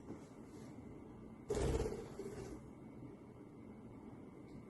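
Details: A quiet indoor room with a low steady hum and one soft thud near the middle, like a door or cupboard knock, and no animal voice.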